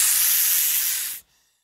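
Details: A European viper (Vipera berus) gives one steady, airy hiss of just over a second that cuts off sharply, followed by near silence.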